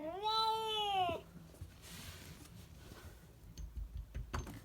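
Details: Cat indoors giving one strong harmonic meow of about a second, arched in pitch, followed by quiet rustling and faint clicks in a small room.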